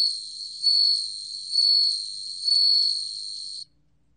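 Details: Bell cricket, from a 2020 National Institute of Biological Resources recording, sustains a high, pure ringing tone that swells louder roughly three times before cutting off abruptly. Faint low chirps recur beneath it.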